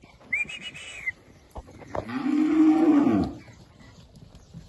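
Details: Crossbred Red Angus × Bonsmara bull calf, one of twenty young males in the Votuporanga region of São Paulo, Brazil, gives a single long, steady moo of about a second and a half, preceded by a short whistle and some clatter.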